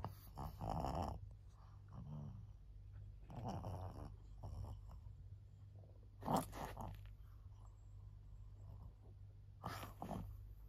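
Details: Senior female fawn pug, fourteen years old, in Japan on 25 August 2024, breathing in rough, snorting bursts roughly every three seconds, with low grunting rumbles and quiet room noise in between.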